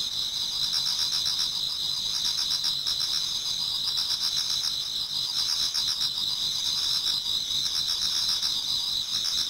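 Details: Autumn insects in a Japanese garden before daybreak: a constant high, ringing trill from many singers, with bursts of faster pulsed chirping rising and fading every few seconds.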